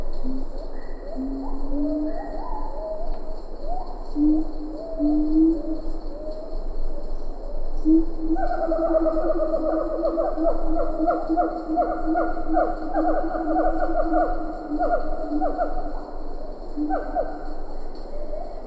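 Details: Close siamang calls from Ketambe Forest, lar gibbons faint in the background: low booms and stepped rising notes build into a long, dense run of loud repeated harmonic barks, sustained to the end over constant insect hum.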